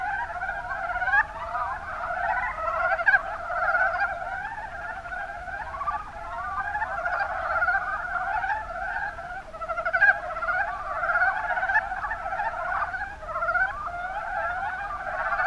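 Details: Mountain brown frogs (Rana ornativentris) calling together in Kumamoto's Kuma Basin, Japan; a long, unbroken mass of quick chuckling notes from numerous frogs, with occasional sharper clicks standing out above the rolling chorus.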